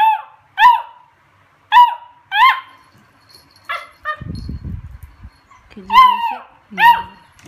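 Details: Beagle named Cooper at play with his recycled Coke bottle toy, indoors: seven sharp, high-pitched yelping barks, ringing and harmonic, singly and in quick pairs across seven seconds, with a brief scuffling rustle midway.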